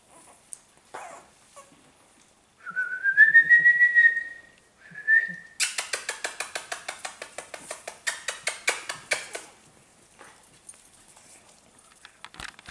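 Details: Five-week-old Australian Terrier puppies indoors: a long high whistled whine that rises then holds steady, a shorter second whine, then a fast train of soft clicking, smacking pulses lasting about four seconds before fading to quiet rustles.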